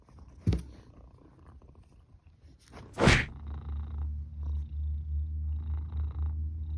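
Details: Cat that was snoring, now woken, makes two sharp bursts of noise, then settles into a steady, deep, even purr-like rumble that pulses gently for the remaining three seconds.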